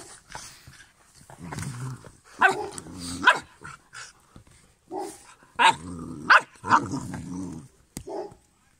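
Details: Two-month-old black female Cane Corso puppy from Belarus: short bursts of rough growling mixed with sharp little yips and barks, several clustered in pairs, with quiet gaps between and a few clicks indoors.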